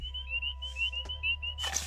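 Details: Spring peepers still calling in a chorus in Potter County, northern Pennsylvania, under light mist at a toad breeding site where American toads have likely already bred: high, clear peeps, overlapping and repeated several times a second.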